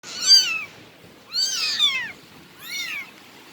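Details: Bengal cat giving three short, high, slightly falling meows spaced about a second apart, each with bright layered overtones, in a quiet indoor setting.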